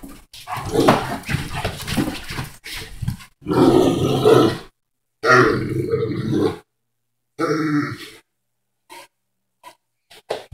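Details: Great Dane named Titus vocalizing in protest on a couch when told to get off, loud groaning, grunting bursts with a low roaring quality in several separate outbursts, a man repeatedly saying "off the couch" between them.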